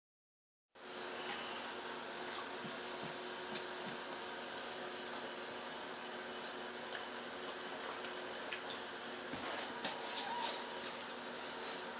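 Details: Indoor room noise with running water or an air-conditioner hum and faint clicks, with no animal voice heard.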